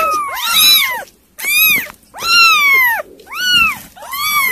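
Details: Kittens being fed weaning food give a run of high, arching meows, each rising then falling, about five calls in under five seconds with short silent gaps between them.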